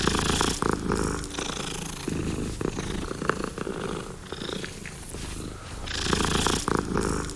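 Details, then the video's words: Domestic cat purring steadily, a low rumbling pulse with breathy swells that rise and fall in loudness over several seconds. "Cat Purring"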